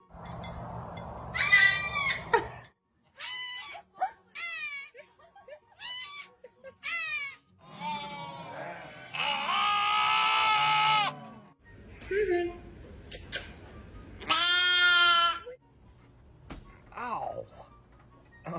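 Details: Goats bleat in a run of loud, wavering, nasal cries, some short and some drawn out.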